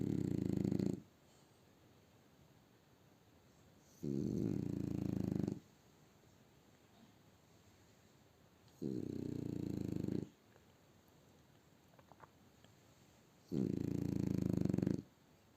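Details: French bulldog asleep indoors on a winter Sunday morning in Barnaul, snoring loudly in long low rasping breaths, each about one to one and a half seconds, repeated roughly every four to five seconds with quiet pauses between.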